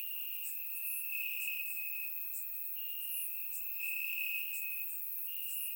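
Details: Crickets chirping in grass on a warm summer night in Bulgaria, recorded with a surround microphone: a steady high trill with brighter pulses roughly every second, plus faint higher ticking insect notes layered above.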